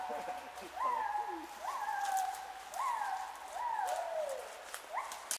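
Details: Gibbons in Khao Yai National Park, Thailand, on 11 December 2016 give clear hooting notes that swoop up and glide down, repeated almost every second.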